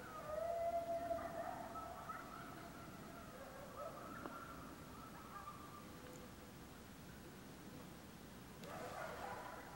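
Coyotes howl in long, wavering tones that overlap and fade, then swell again near the end.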